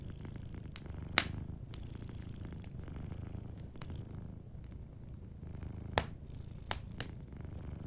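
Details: Sleeping cat's low purr, steady and breathy, beside a warm hearth, with frequent sharp crackles and pops from the burning fire over the rumble.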